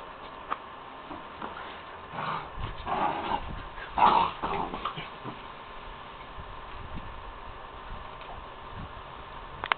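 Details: Puppy playing at night alongside dogs Maia and Juna, giving a short burst of soft whimpers and yips around the middle, set against a steady background hiss with occasional clicks and knocks.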